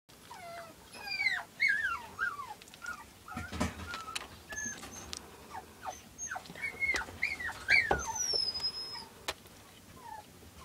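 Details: Two silver Toy Poodle puppies, born 5 August and recorded 7 August 2011 with their mother Cleo, give thin, high squeaks and whimpers that slide downward. The cries come in quick, uneven bursts, with a steady high whine in the background.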